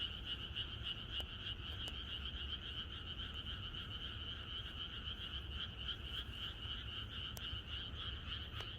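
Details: Night chorus of frogs in rural Korea before rain, continuous massed croaking in two pulsing bands, a few sharp clicks standing out briefly, low steady rumble beneath.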